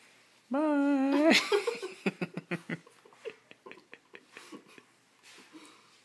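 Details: Dogs Psyche and Harvey, in a strange mood, trading odd noises with each other indoors: one drawn-out, wavering, harmonic whine of about a second, then a run of quick, short huffing pulses that fade away in a quiet room.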